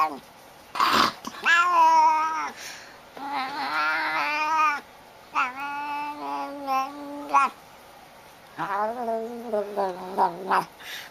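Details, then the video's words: Talking house cat: a series of long, wavering yowls and meows, some held for over a second, others short and choppy, with a warbling, speech-like rise and fall between quiet pauses. "Ultimate Talking Cats"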